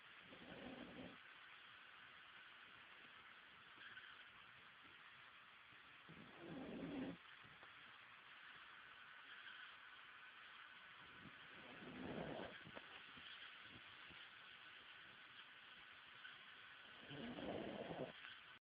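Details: Brian, a pet Pekingese dog, fast asleep and snoring: soft breathy snores come roughly every five to six seconds over a steady background hum.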